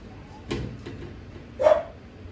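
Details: Young female Japanese Spitz at a breeder barks twice, about a second apart, the second yap louder and brighter than the first; faint room noise between.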